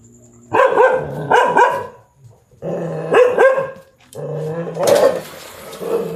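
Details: Dog barking at a big black stray cat seeking to mate; loud, rough barks come in quick pairs, roughly three bursts over six seconds, the final one harsher and noisier, with low rumbling between barks.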